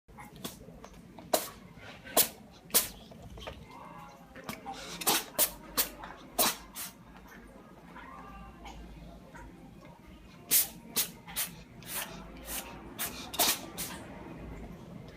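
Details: Touta, a domestic cat, sneezing indoors: short, sharp, broadband bursts, some single and some in quick runs, clustered mid-recording and again near the end, over a faint low room hum.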